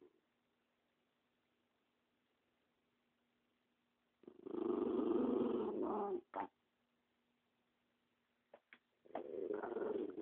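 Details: Spumoni, a dog protective of the dog beside him, gives a rough, pulsing growl lasting about two seconds, then a brief thump and a second rumbling burst after quiet with a low hum.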